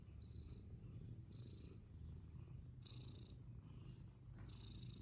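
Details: Persian cats playing games, continuous deep purring held for the whole stretch, with short bright tonal blips recurring roughly every second overhead.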